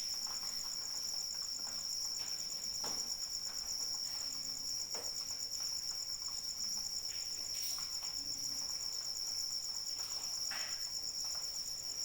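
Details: In rainy conditions a cricket keeps up a sharp, rapidly beating trill without break; several distinct raindrop splashes stand out against the constant patter.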